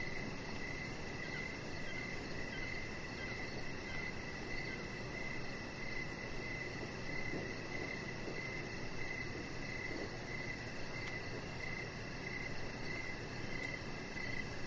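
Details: Crickets chirping outside on a deck in the evening, with a Chihuahua puppy lying nearby under decoration lights; short pulsed chirps repeat about twice a second over a very high, rapid pulsing trill and a steady broad hiss.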